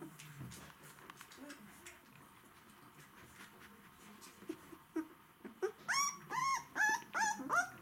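After several seconds of near silence, White Swiss Shepherd dogs break into a rapid run of high, wavering whimpers, each rising and falling. The thin, pleading whines signal hunger.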